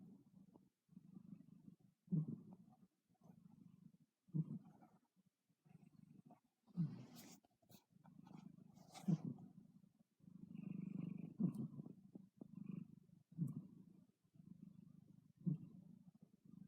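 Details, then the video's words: Sleeping cat snoring: low rumbling breaths repeated roughly every two seconds, each swelling and fading, with a few faint clicks and rustles between them. "Snoring kitty"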